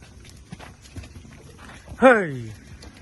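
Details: Six-month-old foals: one loud call rises briefly then slides down in a single harmonic sweep lasting about half a second, after softer scuffles and faint human voices shouting.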